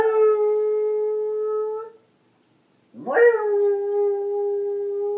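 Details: A Beagle sings along with a harmonica, giving drawn-out howls, one swooping up from a low start into a long, level, mournful tone, while the harmonica's sustained notes sound with the dog.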